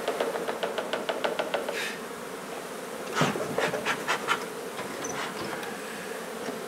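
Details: Honey bee hive removed from a renovated old home in Donna, Texas, the queen found; an even colony buzz with quick rhythmic tapping and scraping strokes throughout.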